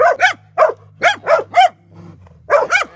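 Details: Dogs barking at a drone overhead, bursts of sharp barks in pairs and threes with short gaps, a low steady hum running beneath them.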